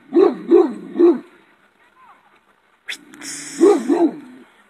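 A shepherd dog barks loudly: three deep, resonant woofs in quick succession, a short silence, then a pair of barks. A brief clattering noise comes just before the second group.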